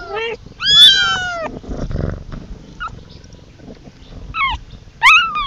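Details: Kitten calling for its mother, high meows with rising-falling harmonic sweeps, one long call near the start and two shorter ones near the end, with soft speech and handling noises between.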